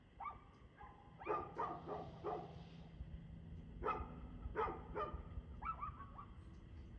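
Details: Barking dog recorded at 6:02 pm on 2/6/2024, giving a rapid run of loud, harsh barks, then several more in pairs and triplets, with a steady low hum underneath throughout.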